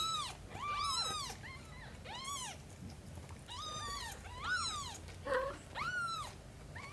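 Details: Mother cat nursing and washing another cat's kittens. High, arching meows, many in quick succession and sometimes overlapping, with about eight clear calls in seven seconds and a brief lower squeak near the end.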